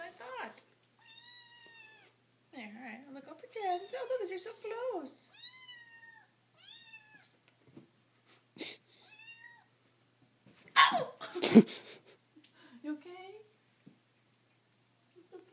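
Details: Hungry domestic kitten in the morning, indoors, giving a run of repeated high, arched mews roughly once a second, some short and some drawn out, with people talking and a sharp clatter in between.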